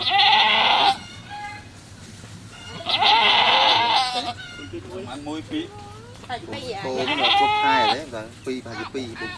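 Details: Goat at a farm where a kid is being born, with loud quavering bleats at the start and around the third second, followed by people talking and further broken bleating.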